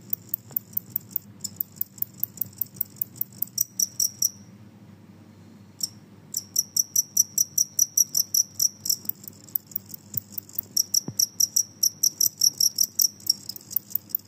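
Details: Noisy Genggong cricket calling steadily. High, shrill pulses repeat about twice per second in a long regular train that breaks off for a moment midway and then resumes. A faint low hum sits underneath.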